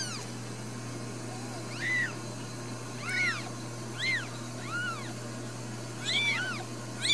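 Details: Newborn Ragdoll kittens at a home cattery in central Kansas, raised without cages: high, thin arched mews around six times in seven seconds, several overlapping near the end, over a steady low electrical hum.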